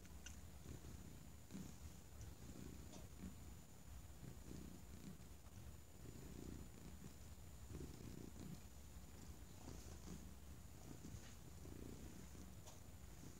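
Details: Thunder the cat purring while settled on a folded argyle blanket; the low, throaty vibration swells in regular pulses roughly every second, close and steady, with a thin high electronic tone faintly audible.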